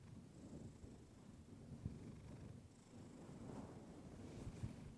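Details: Pet cat Clementine purring near a fluffy microphone; continuous low rumbling purr partly blurred by soft rustling and muffled handling noise.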